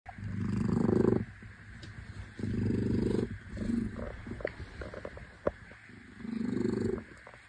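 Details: Domestic shorthair cat purring; a rhythmic, low rumbling purr comes in roughly one-second bursts with quieter gaps between, plus a few soft clicks.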